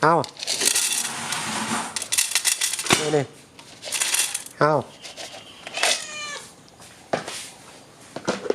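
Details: Stray cat Som Uan, impatient with hunger while its regular feeder hands out food, lets out several loud, bending meows spaced a couple of seconds apart amid clattering, rustling and a man's voice.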